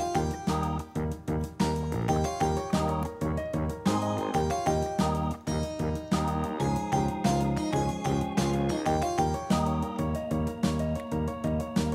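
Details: Upbeat keyboard and piano background music with a steady beat plays throughout; no animal voices are heard.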